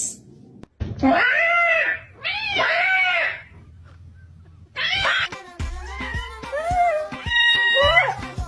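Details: Pet cat in a compilation of cats attacking things around the home: long, wavering yowls that rise and fall in arches, repeated several times, then choppy cries mixed with background music and a person's voice.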